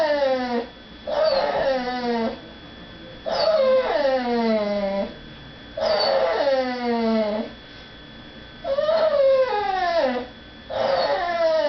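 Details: Female dog cries, held back from begging at the dinner table while people eat in the next room; loud, strongly tonal whimpers that fall in pitch, about five long howl-like bursts in steady alternation with pauses.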